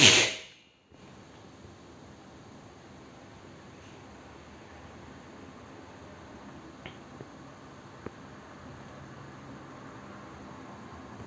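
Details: Quiet indoor room tone follows a sharp loud burst in the first second, with only a few faint clicks and no animal voice.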